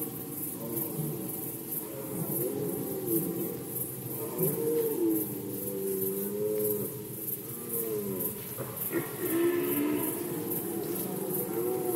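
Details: Rutting red deer in Poland, 2020, giving low, wavering harmonic roars in overlapping bouts, some bending up and down, with a rapid regular high-pitched ticking in the background.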